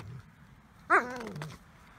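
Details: Border collie fixated on an ice chunk in obsessive play: one loud falling whine sliding from high to low, trailing into a brief low groan.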